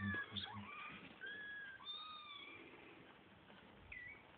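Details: Domestic kittens waiting to be fed indoors give a few long, wavering meows, some sliding gently up or down, growing fainter toward the end after soft low thuds at the start.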